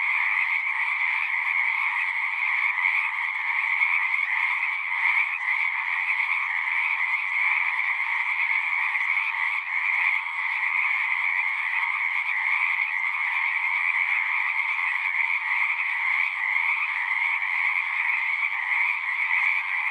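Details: An unbroken wall of frog song, countless overlapping trills forming steady mid and high bands with faint flickers in the texture, level and continuous from start to finish.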